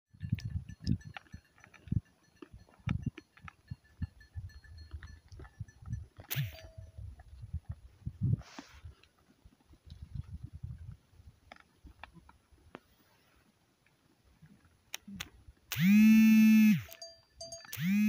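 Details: Goats recorded on 23 November 2023: after a stretch of soft shuffling and rustling, one loud, drawn-out, wavering bleat rings out near the end, followed by the start of another.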